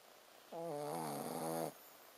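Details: Ponzu, a Shih Tzu dog fast asleep, lets out a single snore of just over a second, a steady low buzzing drone with stacked harmonics and airy hiss above, against a quiet indoor background.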